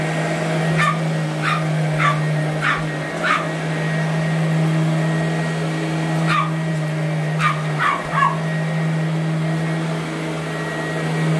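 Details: Allie the Boston Terrier, 12 years and 8.5 pounds, in a lifelong habit of chasing the vacuum: quick bursts of high yapping barks, a run of four then later a cluster of three, over a humming motor.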